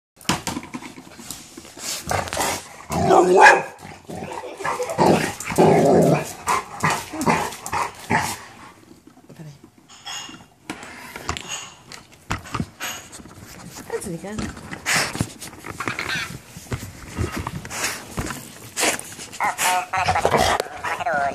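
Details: Golden retriever dog reacting to a minion toy on first meeting, giving dense bursts of loud barks and growly noises packed together over twenty seconds, with a short quieter gap midway and fainter squeaky sounds between.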